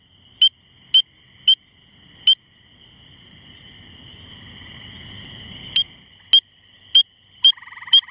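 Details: A spring peeper calls from a shrub about two feet off the ground at about 9:45pm on May 11, 2015, on a misty evening after rain, giving loud, high, clear peeps about every half second; other tree frogs and toads are also calling.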